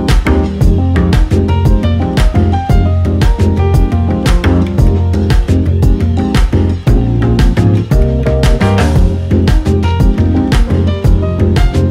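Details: Loud funky music with guitar and steady drum beat throughout; no animal sound heard.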